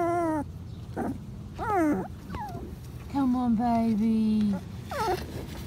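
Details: Five-week-old Patterdale Terrier pups in an earth tunnel let out short downward-sliding whines, mixed with a person's coaxing voice and a long steady low vocal tone.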